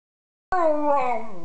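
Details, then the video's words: Buster, a Parson Russell Terrier, howling on demand: one sustained, slightly wavering tonal howl with rich harmonics, starting abruptly after half a second of silence and slowly falling in pitch toward the end. "Buster the Howling Parsons Jack Russell"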